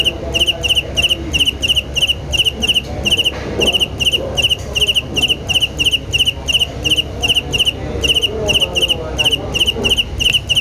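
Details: Steady rhythmic cricket chirping, high three-pulse trills repeating rapidly and evenly with brief pauses now and then, set against a faint low hum.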